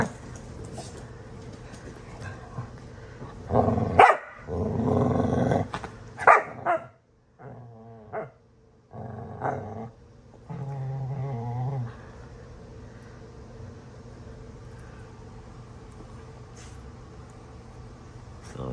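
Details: Two dogs, Astrid and Brielle, play-fighting roughly; low rumbling growls in bursts between about 3.5 and 12 seconds, some short barks mixed in, then a quieter stretch with background hum.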